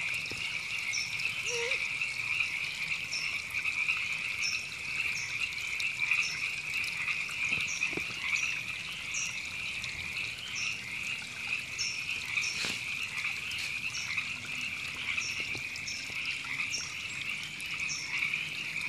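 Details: River frogs massed in Temescal Canyon Park, Los Angeles, California, April 2017, keep up an unbroken rasping chorus, with faint high chirps recurring throughout and a few soft knocks and clicks in the background.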